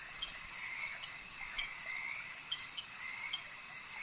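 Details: At a lake, many frogs croak together in a steady rattling chorus, broken by a few louder short chirps, beneath an unbroken high shimmering hum.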